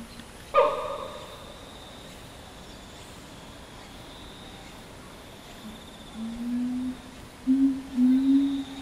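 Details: Chimpanzee of Ryu's family group with twin girls: one sharp, brief harmonic yelp, a long quiet pause, then three low, drawn-out hoots close together near the end.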